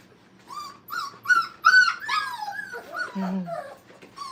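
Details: Five-week-old Brittany puppies playing indoors at a training kennel, giving rapid high whines and yips, several short squeals in quick succession with a growl-like low note near the end.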